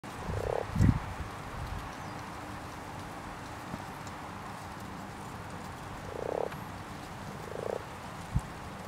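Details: Common frogs croaking in a pond during spawning: three short, low, purring pulsed croaks, two near the start and end plus a pair later, with a few dull low thumps and a steady quiet background.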